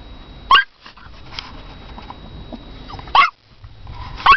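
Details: Toy poodle barking for her owner: three sharp, high yapping barks spaced a few seconds apart, with a faint steady hum and quiet room noise between them.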